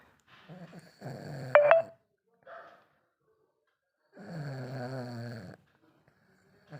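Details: Lhasa Apso puppy named Chinku snoring while asleep indoors: two low, rough, droning breaths about a second and a half long, separated by quiet pauses, with a brief sharp click between them.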